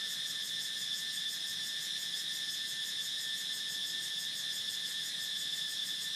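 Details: Cicada song: a loud, unbroken high buzzing drone with a fine rapid pulse, steady in volume from start to finish, with no other sounds heard.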